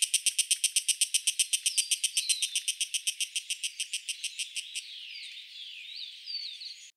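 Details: Hiko higurashi, a 32 mm Taiwanese cicada, gives loud rhythmic rasping pulses about three per second that gradually weaken and blur into a fading hiss after five seconds. Thin, swooping whistled notes sound faintly behind it.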